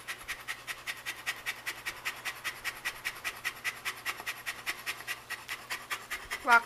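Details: Shelby, a female pet Saint Bernard, panting in summer heat. Rapid, rhythmic breathy huffs, roughly two and a half each second, evenly sustained, with a short burst of human voice at the very end.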